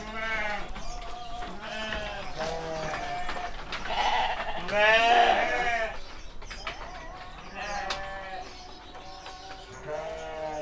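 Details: Young male sheep, around seven months old, penned at a Kediri farm in Indonesia, bleat repeatedly in overlapping, trembling calls, some loud and drawn out, with a little speech underneath.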